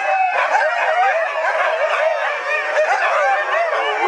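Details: Fourteen Siberian huskies howling along with the town church bells at 7 o'clock, as they do every day; many overlapping, long wavering howls rise and fall together in a dense continuous chorus.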